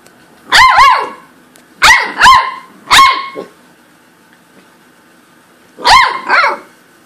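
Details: Corgi giving loud, clear, tonal barks, a single one then a quick pair and another single, a pause of nearly three seconds, then a final double bark.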